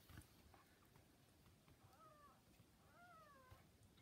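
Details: Newborn kittens about 40 hours old with their mother cat: two soft, brief mews, the second longer and gently falling, over a quiet background hum.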